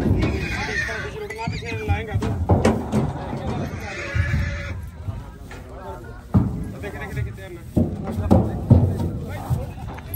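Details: Horses arriving at the Ganganagar horse market (mandi), including a mare with her young filly. Wavering, harmonic whinnies rise through the first half, mixed with loud nearby voices, thumps and crowd noise.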